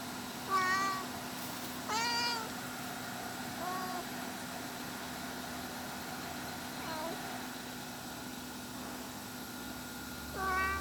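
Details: Mother cat searching for her lost kittens, meowing every few seconds. Some calls are sharp and rising, others softer, with long quiet gaps between them over a constant electrical hum.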